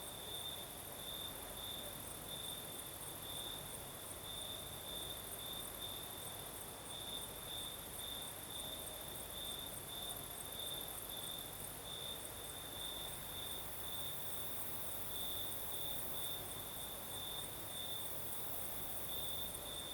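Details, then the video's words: Southern Crimea at night, crickets singing: an unbroken high-pitched trilling band with rhythmic pulses over twenty seconds, accompanied by a soft, steady night breeze. "Звук ночи. Юг. Крым. Сверчки поют."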